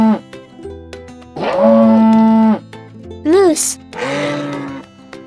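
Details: A moose gives one long, steady, low moan lasting about a second, then a shorter bent cry, while cheerful children's music plays underneath throughout.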